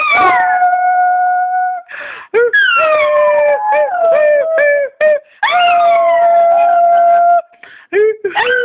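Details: A pet dog howls along while its owner sings "Home on the Range". Long drawn-out howls hold steady, then waver and slide downward in several phrases with short breaks between them, mixed with the human singing voice.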